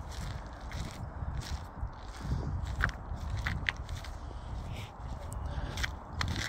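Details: Crunching steps and scraping on gravel-like ground outdoors, with sharp crackles and faint murmuring, but no animal call.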